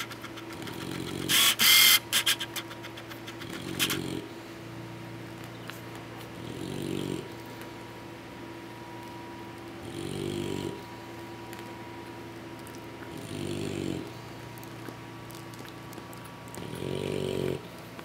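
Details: English Bulldog puppies sleeping off a large feed from their mother, with six rhythmic rasping snores roughly every three seconds, a brief rattling clatter early on, and a faint steady hum throughout.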